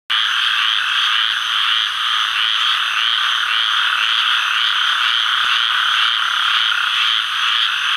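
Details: A male Gulf Coast toad calls in the Sherburne WMA, Atchafalaya Basin, south-central Louisiana, on July 11, 2013, giving a steady, buzzy trill that rattles on without a break.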